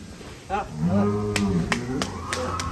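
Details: One of a row of one-ton cattle in a large farm barn lets out a deep, steady moo lasting about two seconds, with sharp clicks and knocks sounding over it.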